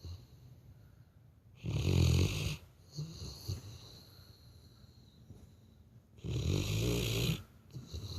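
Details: Asleep, a Labrador Retriever gives two heavy, rumbling, person-like snores, each close to a second long and about four and a half seconds apart, with softer snuffling breaths in between.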